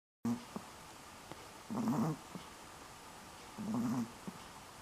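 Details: Sleeping dog recorded in October 2015, snoring softly: two low, rough, throaty breaths with a slight rattle, about two seconds apart, each lasting roughly half a second over a quiet room hiss.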